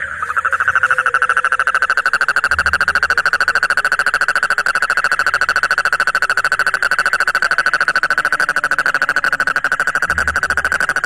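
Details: An Indian tropical frog outside a pond in Odisha, India, screams angrily: a long, steady, high-pitched squeal with a rapid buzzy pulse throughout.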